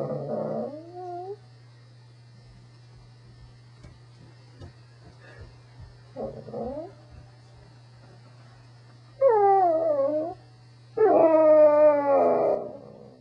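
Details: A Corgi's vocal 'talk': a short whine, a long quiet stretch with faint clicks, then two loud rising-and-falling howls near the end, each about a second long.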